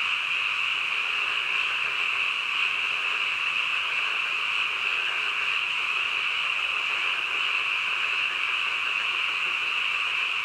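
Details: Frogs at midnight: a steady massed chorus, high and ringing, running evenly without gaps; no birds, voices or traffic clearly heard.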